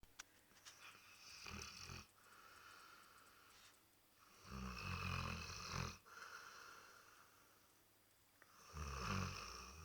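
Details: Labrador Retriever snoring: three long, rough, low rumbling breaths near 1.5, 5 and 9 seconds, each a broad noisy burst with quieter gaps between, no other clear sounds.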